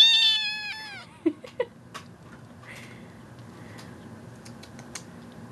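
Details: Female kitten that cries non-stop for attention gives one short meow with a falling pitch at the start, followed by a few soft clicks, faint rustles and a quiet voice in the room.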